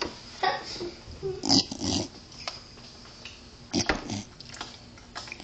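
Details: Pit bull puppy snorting like a pig: rough, breathy, noisy snorts in short bursts, a cluster in the first two seconds and another pair near four seconds, with quiet room noise between.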